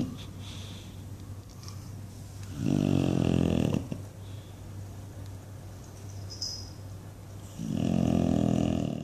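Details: English Bulldog asleep indoors and dreaming, snoring loudly: long rough low snores with bursts of flapping, fluttering noise around three seconds and again near eight seconds, between quieter wheezy breathing.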